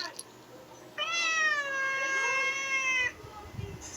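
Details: Pet cat in the Philippines meows once, a long steady drawn-out cry lasting about two seconds, with faint low knocking afterward.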